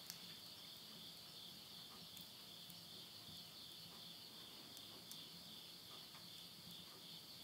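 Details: Midnight insect chorus from the Japanese countryside in Tottori, September 2020, at summer's end: an even, persistent high ringing trill, joined by scattered light pops of firewood crackling in a stove.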